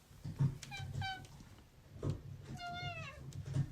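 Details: A domestic cat meowing indoors as its owner offers to go outside together, two short meows then a longer drawn-out, slightly falling meow, with soft thumps and rustling in the room.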